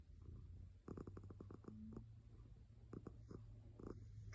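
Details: A cat purring: a steady low rumble runs through the whole stretch, broken by short crackling clicks and soft rustles close to the microphone.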